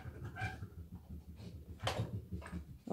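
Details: Moscow Watchdog Bulat indoors, nosing through a child's room in search of hidden sweets; fast, low, rhythmic snuffling pulses run throughout, broken by a few brief, louder rustling bursts.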